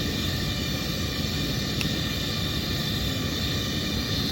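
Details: Steady broadband roar like a passing vehicle or aircraft engine fills the recording, with no animal voice audible.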